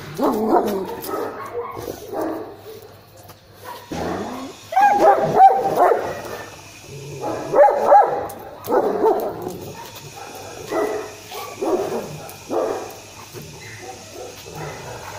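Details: German Shepherd under a guard test, barking hard: clusters of deep, rasping barks broken by short pauses, some strained whining yelps between bursts, with a steady low hum behind.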